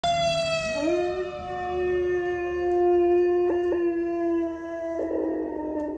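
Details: Dog howling in a way that sounds like a fire truck siren; one long sustained howl that swoops up early, then holds a steady wailing tone for several seconds with brief rough breaks near the end.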